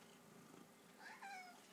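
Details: Restless male pet cat indoors gives a single short meow, a clear tonal cry that slides downward with stacked harmonics over about half a second, after a quiet stretch of low room noise.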